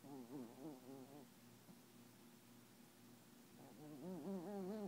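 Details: Camille, a Papillon dog, asleep and dreaming with tongue out and eyes open; a series of high wavering whimpering whines comes in quick pulsing bursts at the start and end, with a quieter steady tone between.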